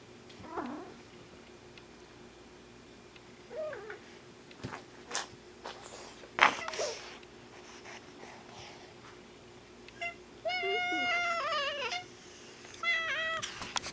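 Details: A domestic mother cat meowing strangely because a black cat was present; quiet rustles and clicks, then two clear high, wavering meows near the end, the first longer and the second short.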